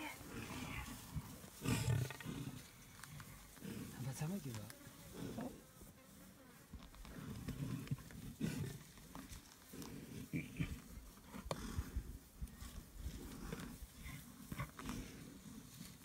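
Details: Three male lions attacking an adult buffalo during a fierce fight in the Okavanga Delta, Botswana, near &Beyond Xudum Lodge. Deep rumbling growls come in rough bursts, loudest around two and eight seconds, with scuffling and faint voices beneath.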